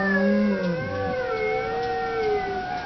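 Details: Brief dog howl: a low, loud held note that slides down, overlapped by a higher, softer wavering tone that slowly descends and fades.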